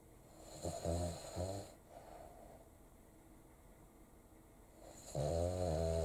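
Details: A 4-year-old male black-and-tan Cavalier King Charles Spaniel, sleeping with his eyes open, snores like a bear in low, buzzy rasps: two quick snorts near the start, then a long rumbling one after a quiet pause.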